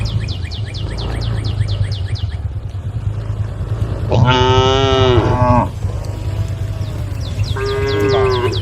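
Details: Tame cows on a road calling the herd; a long, loud moo lasts over a second, later a shorter lower one, with rhythmic bird chirps at the start and end and a low rumble throughout.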